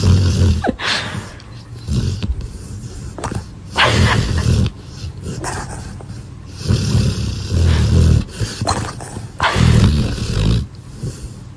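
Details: Sleeping dog snores in heavy, rough, low-pitched breaths, each snore lasting about a second, several coming in an uneven series with quiet gaps between.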